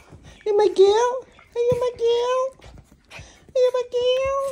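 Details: Female Chihuahua named ChiChi greeting her owner indoors with drawn-out, tonal whining howls, each held about half a second to a second, slightly rising then level, in three bursts, with a woman's affectionate voice close by.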